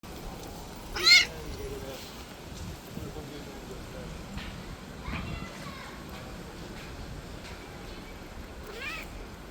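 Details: A stray street cat that had been playing too roughly and injured a hand gives one loud, short, high meow early on, then a fainter rising meow near the end, over a quiet, steady background hiss.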